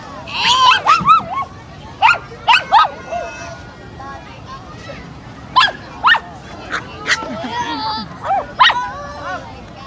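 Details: Pomeranian dog meeting a new friend, giving scattered short sharp yips and barks with a few whimpering tones in between, separated by quiet gaps, with human voices talking alongside.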